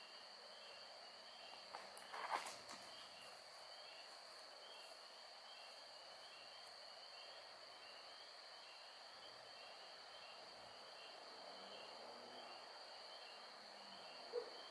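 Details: A night chorus of spring peeper frogs, with occasional lightning bugs about: high, short peeps repeating over a steady ringing drone.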